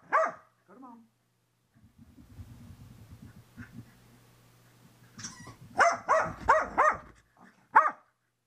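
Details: Excited female Corgi in a post-bath frenzy indoors, caught on a helmet camera set on the floor while someone tries to towel her off: one sharp bark, a low rubbing rumble, then a fast burst of five loud barks and a final bark.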